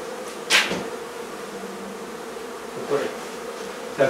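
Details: Honey bee colony in a barn in La Feria, Texas, during hive removal: a steady, low droning hum from the swarm holds throughout, broken by a few sharp knocks and taps from the work.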